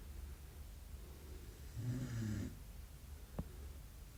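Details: A single drawn-out, rumbling snore from a sleeping Belgian Malinois puppy, low and grating for nearly a second, followed by a brief sharp click in an otherwise quiet room.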